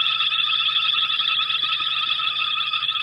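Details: A distant frog chorus keeps up a steady, high, trilling chatter with no pause during an evening safari drive in Sabi Sands on 21 September 2016, early in the frog season.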